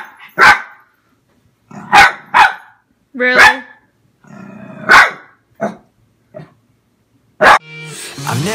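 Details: Pembroke Welsh Corgi, an adult male aged six, reacting to a pair of boots with irregular loud barks and short growly yelps, a woman's voice heard near the end.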